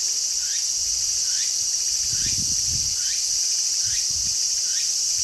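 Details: A garden with Walker's cicada calling hard: short rising notes repeat at a steady pace under an unbroken shrill insect hum, with some low rumbling noise in the middle.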